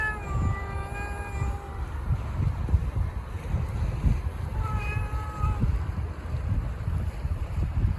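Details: Two male stray cats on the street yowl angrily at each other in a drawn-out, wavering contest for dominance before fighting, over a steady low rumble.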